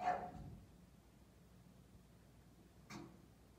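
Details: Jasper, a bossy English Bulldog, gives a short gruff bark at the start, then a second sharper bark near the three-second mark. A quiet indoor hush fills the pause between them.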